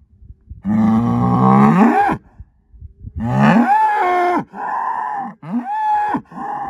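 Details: Herd sire Angus bull born spring 2018, sired by SAV Harvestor 0338, giving long, loud moos that start low and rise, followed by shorter, higher bellows broken by brief pauses.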